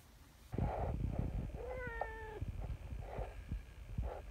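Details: Nyahha, an affectionate brown tabby community cat called a king cat, arriving from the hill with a loud voice: one drawn-out, level, harmonic meow near the middle, surrounded by soft low thumps and rustling outdoors.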